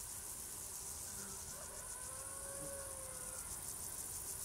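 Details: A cricket chorus holds an unbroken, high, pulsing buzz throughout, with a faint wavering low tone, like a distant engine or siren, drifting underneath.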